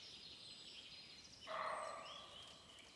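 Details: A wild sambar deer in the forest breaks the quiet with one sudden, loud, harmonic cry that holds steady for about a second before fading, with faint insects and birds behind.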